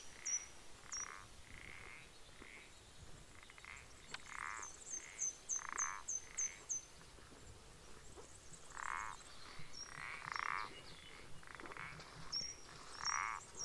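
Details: Common parsley frog calling on 14 April 2020: about ten short, creaky, nasal notes at an uneven pace, some in quick pairs, with thin high chirps in rapid series overhead.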